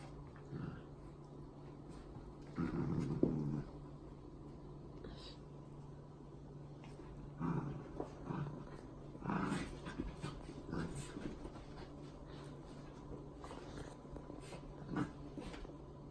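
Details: Dachshund playing with a rescue dog indoors: several short, rough growling bursts, the loudest near the start, then scattered shorter grunts and growls separated by quiet gaps over a steady low hum.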